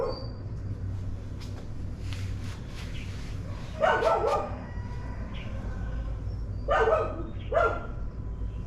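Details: Morning barking of dogs, with a loud rough bark burst around four seconds, then two more short barks close together near seven and a half seconds, above a constant low droning background.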